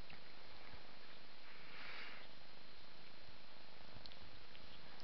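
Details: Short stretch of an unbroken low cat purr while a mother cat bathes her five-month-old kitten Ming in a small indoor room, with a faint soft rustle midway.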